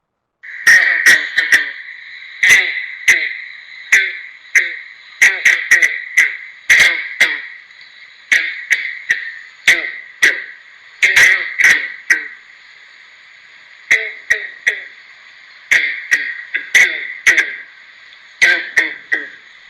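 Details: Green frog with a very distinctive call likened to a plucked banjo: abrupt twangy plucks, single and in quick clusters, scattered over twenty seconds above a steady high frog drone.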